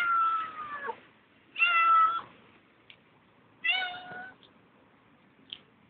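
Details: Hungry she-cat visiting a tent at night at the S.P.N.I. Field Schools camp ground, uttering heartbreaking meows: three long, slightly falling wails spaced about two seconds apart, with faint clicks between, otherwise quiet.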